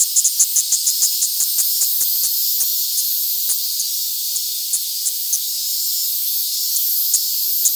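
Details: Hand-held Platypleura kaempferi in Tokyo, Japan, recorded August 3, 2021, giving a continuous high hissing buzz broken by sharp clicky pulses, quick at first and then spaced irregularly.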